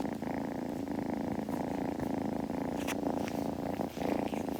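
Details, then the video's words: Close, steady purring from a kitten as it grooms, a low vibrating drone with brief breaks and a few sharp licking or rustling ticks. "子猫のASMR / グルグル音・毛づくろいの音など"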